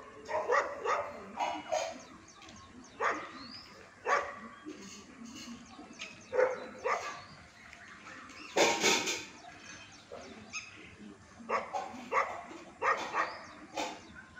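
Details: Male Golden Retriever puppy at a kennel in Ambala city giving short, sharp barks repeated about once a second. A louder, broader burst comes near the middle, over a faint steady background hiss.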